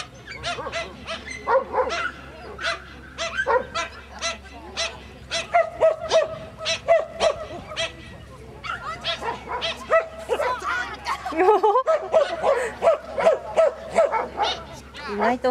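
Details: Toy Poodle on an agility run over 35 cm hurdles. Rapid, high, yappy barks repeat almost nonstop, mixed with running thuds and course noise.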